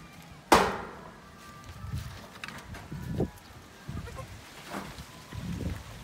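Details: Newborn goat kid being housed apart: a sharp knock opens, then a faint, steady-toned bleat of about a second, a shorter bleat later, over low rumbling thuds and handling noise.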